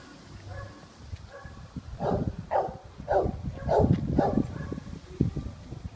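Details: Golden Retriever at a dog zoo in Japan gives a run of five or six deep, rough barks in quick succession, with low background rumble and faint voices.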